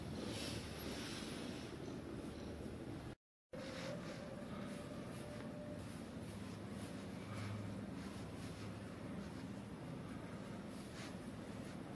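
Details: Steady low rumbling noise with a brief dropout near three seconds, like wind or a distant engine; no animal calls are heard.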